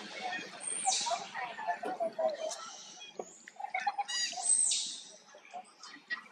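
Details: Injured infant monkey straining to get away from a companion it is forced to stay with: two thin, very high shrieks that drop slightly, about three seconds apart, with low chattering and clicks in between.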